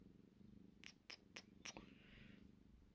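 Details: Sleepy, happy domestic cat called Boo Boo, a female, purring indoors: a steady low rumbling pulse throughout, broken by four sharp clicking taps near the middle, with a soft voice faintly heard.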